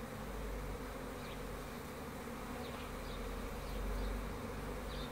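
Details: Loud, steady buzzing of honey bees, a full low drone that swells slightly near the end, with a few faint high chirps.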